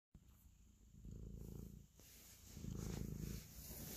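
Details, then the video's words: Domestic cat purring while kneading and showing affection; low rumbling purr rises in two louder bursts, each around a second long, over a quieter steady purr, with faint hiss in the background. "5 mins ASMR Cat Purr, Kneading and Love"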